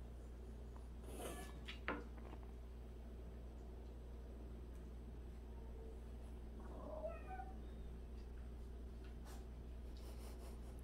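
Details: Indoor cat from a household of 76 rescued and street cats, where one cat washes the others' faces daily; a single short rising meow near seven seconds over steady low room hum, with a few soft taps and clicks earlier.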